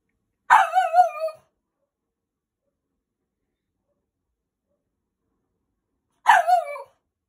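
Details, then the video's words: French Bulldog puppy aged five to six months, rescued, fighting bedtime indoors: two long, wavering, yodel-like barks with a bending pitch, separated by nearly five seconds of silence. "Max the French bulldog fights bed time."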